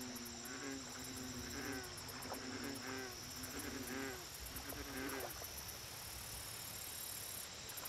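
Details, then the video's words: American bullfrogs at a lake, a series of low, throaty, resonant croaks repeated about once a second for five seconds, then stopping, over a constant background hiss. "Bullfrog Lake Audio Only"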